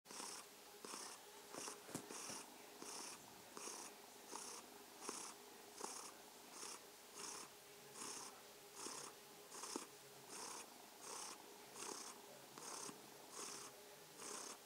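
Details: ['Mausi, a purring domestic kitten, sends an evening good-night greeting indoors. Its steady purr comes as hissy rhythmic pulses, each cycle under a second, about eighty per minute, with a faint low hum running underneath throughout.']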